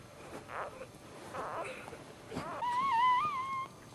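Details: Newborn male Dachshund puppy, the first born in the litter, heard right after birth: a single thin, wavering cry lasting about a second near the end, after quiet rustling and faint voices indoors.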